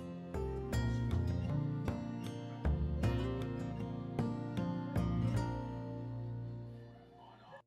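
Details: Soft instrumental music plays throughout, with plucked notes struck at intervals over steady low harmonies. No animal sound can be picked out.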